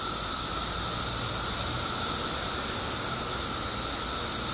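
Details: Brief stretch of the Illinois periodical cicada emergence after 17 years underground: countless insects make a level, unbroken buzzing drone, a high hiss over a steady lower whine.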